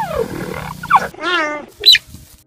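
A cheetah gives a few high, bird-like chirps and a wavering, buzzy yelp in quick succession, nothing like a big cat's roar.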